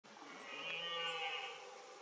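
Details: Red deer during the 2022 rut, stag and hinds filmed at nightfall; a drawn-out tonal call about two seconds long with a steady low pitch and rich upper harmonics that swell and fade, over a faint background hiss.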